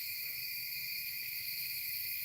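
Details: Loud crickets at a truck campsite beside a tree line near a small creek; an unbroken, shrill, high buzzing chorus of stacked trills that holds steady throughout.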